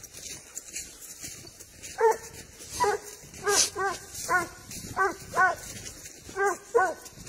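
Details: A Spanish hound tracking wild boar bays in drawn, wavering yelps, given in loose bursts of one or two.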